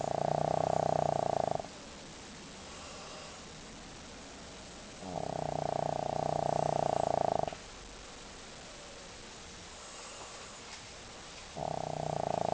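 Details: Pet dog named Leo, sleeping soundly and snoring loudly. Harsh, buzzy snores last about two seconds each and come roughly every five seconds, with quiet breathing gaps between them.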